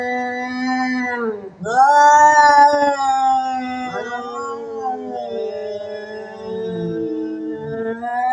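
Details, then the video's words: Domestic cats biting each other and threatening aloud: a sustained low moan, a short dip, then a sharp rising wail that settles into long, slowly wavering yowls. "แมวกัดกัน ขู่เสียงดัง"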